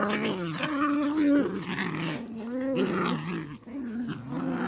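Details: Beagle puppies squabbling, with a continuous low rumbling growl that wavers in pitch and rises into snarls, dense and steady throughout.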